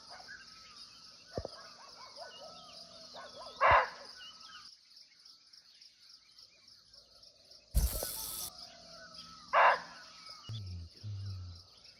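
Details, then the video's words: Barking deer in its natural forest habitat in Nepal, heard but unseen at close range, gives two sharp, coarse barks about six seconds apart; a loud crackling burst between them, ongoing insect buzz and low hums at the end. "Real Barking Deer Call"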